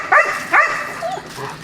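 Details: A dog in a small kennel at morning feeding time in October 2013 gives two sharp, harmonic barks, followed by softer yips and whines.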